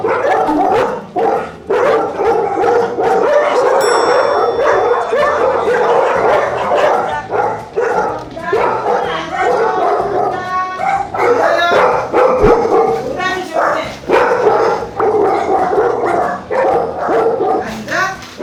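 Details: Several big Jindo dogs in a foster home keep up wary barking at strangers arriving, dense overlapping barks in steady bursts throughout, too loud for conversation, with soft music underneath.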